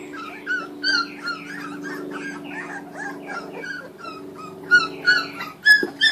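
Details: While eating raw food, 2013 Kuvasz puppies whine and whimper in short, thin, falling notes spaced about a second apart, with a steady low drone behind and sharper squeaks toward the close.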